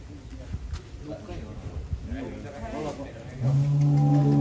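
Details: In a Wonosobo, Indonesia cattle barn housing giant cows of up to 1.3 tons, a low, steady moo swells in near the end after background chatter and laughter from visitors.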